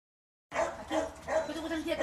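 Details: Little dogs barking in quick, high, sharp bursts, about three or four in under two seconds, after a brief silence, with voices in the background.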